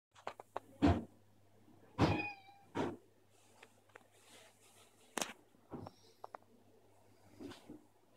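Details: Cat meowing indoors, confused by bin bags stuck to the ceiling; one clear harmonic mew rises and falls near two seconds, surrounded by sharp clicks, knocks and rustling in a small room.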